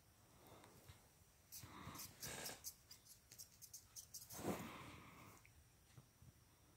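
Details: Boston Terrier named Feast the Beast playing indoors with a hair clip: bursts of breathy snorting and wheezy grunts in short clusters, a louder snuffle near the end, small-room ambience between.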